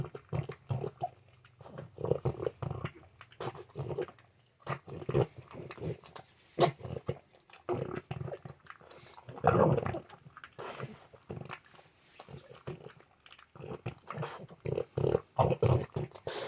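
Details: French Bulldog making its usual morning noises, heard indoors up close: low, rough snorting and grunting bursts in quick irregular succession, some sharper snuffles, continuing throughout without pause.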